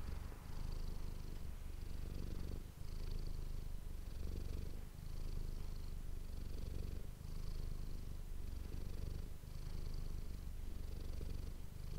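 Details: Close-up purring from Manis the domestic cat, recorded with an ASMR microphone: an unbroken low throaty rumble rising and falling with regular breaths about every 1.2 seconds, faint whispery hiss on each breath.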